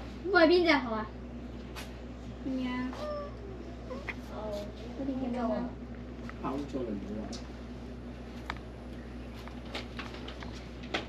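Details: A cat gives one loud, drawn-out meow at the start, its pitch bending upward then falling, followed by quieter voiced sounds mixed with human speech and scattered soft clicks.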